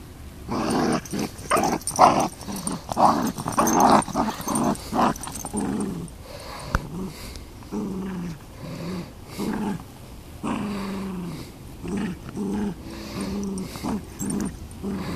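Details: Playful tug of war between a Beagle and a Miniature Long Haired Dachshund over a toy duck: rough, pulsing growls come in uneven bursts, mixed with scuffling and a few sharper yips.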